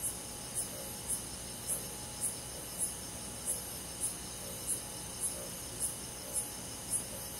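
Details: Crickets and other insects on a summer night in a Korean countryside forest, calm night insect sounds: short high chirps pulsing steadily about twice a second over a continuous high insect drone.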